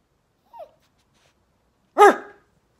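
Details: A Yorkshire Terrier reacts to its owner barking at it, giving a soft falling whine, then one sharp, high, ringing bark.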